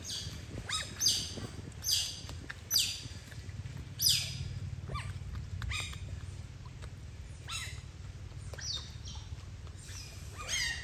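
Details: Playful otters in the sun make a run of sharp, high chirping squeaks, roughly one a second at first, then more scattered, over a steady low background rumble.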